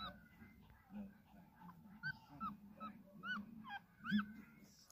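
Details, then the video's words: Newborn puppy crawling and trying to find its mother, giving thin, high whining squeals that rise and fall, about six short cries spaced irregularly over five seconds, over a low steady rumbling background. "Puppy crawling, trying to find mama"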